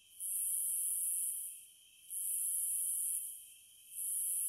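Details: Cicadas singing: high, sizzling buzzes of just over a second, rising and falling in a slow, steady pulse, with a continuous lower drone beneath.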